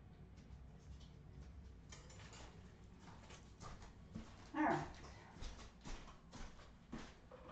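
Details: Australian Terrier puppies from Redwing, 2018, indoors: one short, high, tonal whimper with a brief squealing rise, set among soft pattering, scuffling and rustling sounds, with a few fainter whines after it.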